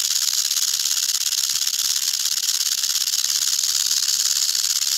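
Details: Continuous sizzling rattle from the tail of a venomous eastern diamondback rattlesnake, Crotalus adamanteus, a dense, level buzz with slight flutter in loudness throughout.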